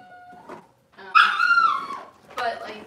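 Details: Cavalier King Charles Spaniel indoors on a kitchen camera, on a cloudy Monday morning, where mothers and puppies are kept; a short, strained, high harmonic whine sliding downward, then a second softer whimper, with faint human voices.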